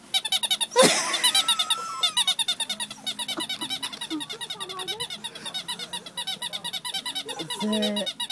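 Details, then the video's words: Louie the dog squeaks indoors in a steady run of rapid, high-pitched squeaky pulses, about two each second, with a louder rasping burst near the start and brief tonal voice-like sounds toward the end. "Squeaking Dog Louie"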